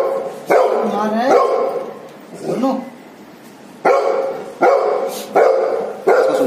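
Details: Golden Retriever barks twice, then a quieter, wavering vocal sound follows after a short pause. A run of four forceful barks comes next, spaced under a second apart, each bark bright and harmonically rich.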